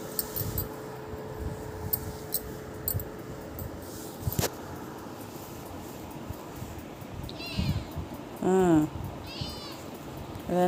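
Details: Young pet kitten answering its owner. Mostly quiet with a woman's voice and handling noise, then three drawn-out, tonal meows near the end, each rising then falling, the middle one loudest.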